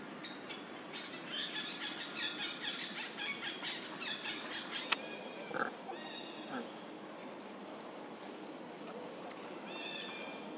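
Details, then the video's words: Monkey mothers Duchess and Queen calling out for their missing baby Quinton, in nature: a run of high, tonal, harmonic-rich calls repeated in quick succession for several seconds, then a few scattered later calls over steady background hiss. "Amazing Mom Duchess And Mom Queen Huge And Crying Calling Their Baby, Where Is Baby Quinton?"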